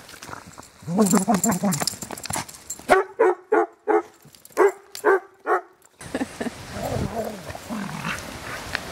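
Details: Five-year-old Spaniel mix romping and playing with other dogs at a foster home, in rescue care; a run of sharp, evenly spaced barks, about eight in quick succession, with human speech before and a rumbling, noisy stretch after.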